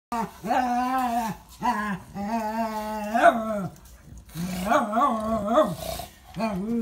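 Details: Bulldog Birillo playing indoors with Zora, a mixed-breed female dog, in a small room: drawn-out, tonal growling grumbles in several long bouts with short gaps, while a woman talks in Italian.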